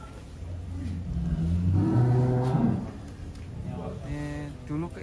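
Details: ['Huge cows housed in a barn in Wonosobo, Indonesia, one reaching 1.3 tons; a low, rumbling moo rises and lasts over a second, followed by quieter voices and barn noise.']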